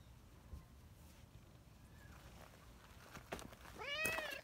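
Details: Community street cat, a brown tabby, rushing over after a person moved a short distance away; one clear rising-falling meow near the end, with faint chirps and background noise before it.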